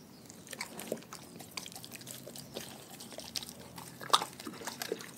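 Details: Raw food being eaten by a pack of dogs; scattered wet chews and smacks, a sharp crunch just after four seconds, quiet room hum in between.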